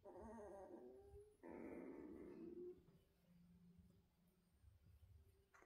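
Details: Indoors, Central Asian Shepherd puppies give a short wavering whine, pause, then a louder strained whine for over a second. Only quiet low rumbling and room hiss follow.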